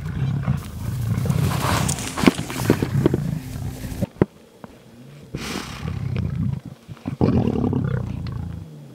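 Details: Lions of the Mhangeni pride during a hunt on Londolozi Game Reserve; deep, rumbling roars and growls in bursts, broken by a quiet gap near the middle, with faint rustling around them.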